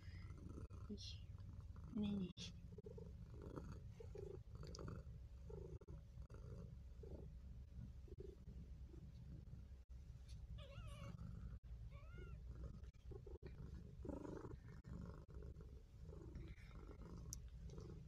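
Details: Maine Coon kittens at a cattery in Japan, recorded indoors on 23 June 2022 while sleeping with a person: a steady, low, continuous rumbling purr throughout, overlaid by soft human voices and scattered small rustling sounds.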